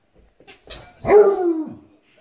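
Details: Female Redbone Coonhound barking at her red squeaky ball while playing indoors: a few soft clattering knocks, then one drawn-out, tonal bark that slides downward and fades after about half a second.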